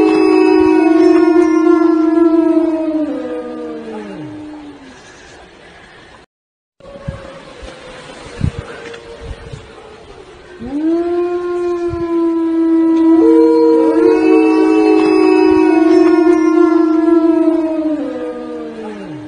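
A Siberian Husky gives long, steady wolf-like howls that hold their pitch, then slide downward at the end.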